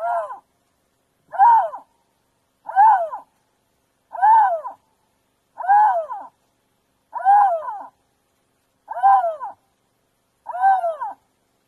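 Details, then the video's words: Repeated lynx screams, eight wailing calls in about twelve seconds, each rising then falling in a smooth arch, spaced fairly evenly with quiet gaps and no other sounds. "Lynx sounds, lynx scream"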